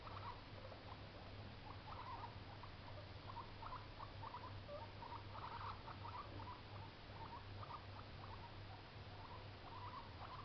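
A young guinea pig makes quick, soft chirping squeaks in rapid bursts over a steady low hum.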